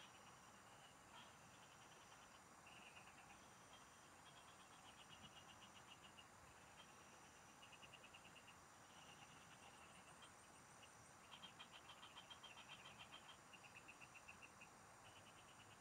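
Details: Several frogs singing in the fields, heard while fishing: short pulsed trills, mid-high and evenly ticking, come in bursts of a second or two against a steady high insect hum and a broad background hiss.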